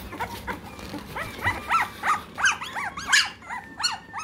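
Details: Three-week-old American Bully puppies in Great Britain, giving a run of short arched whines and yelps, roughly one every third of a second, rising then falling in pitch and growing louder toward the middle.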